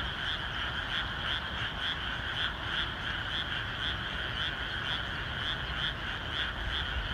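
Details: Frog chorus from a rainy rice field the day before rice planting; many overlapping croaking calls form a dense pulsing hum with bright bands, steady throughout, over low rumbling rain and background noise.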